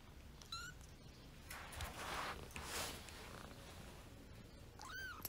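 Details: Gray, wild-blooded kitten about a month old, from Paraguay, wanting to play with another kitten indoors; two brief, faint, high rising-falling meows, one near the start and one near the end, with soft rustling between.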